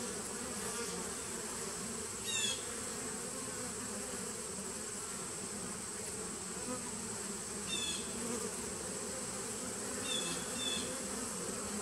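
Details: Bees in a nuc hive started in 2017, recorded 19 September 2018: a steady, dense low hum with layered drones throughout, and three brief pairs of high, sweeping chirps near the start, middle and end.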